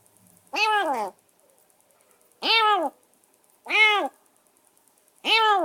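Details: Rescued stray kitten, semi-wild, calling from a cage after a bath and a meal: four loud, arched meows at irregular intervals of one to two seconds, the first one doubled.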